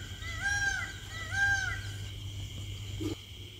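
A cheetah gives two high, bird-like chirps, each briefly rising then falling, about a second apart.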